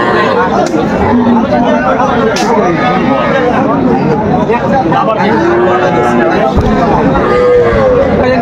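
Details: Cows with calves at the Aftabganj cattle market in Dinajpur, Bangladesh, June 2025; several drawn-out lowing moos rise and fall over a dense crowd of bargaining voices and market chatter.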